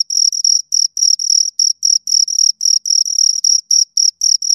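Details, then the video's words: Pair of crickets heard at close range, their high, piercing trill chopped into short bursts of slightly uneven length, several per second, against complete silence otherwise. "Two Crickets Chirp Sounds"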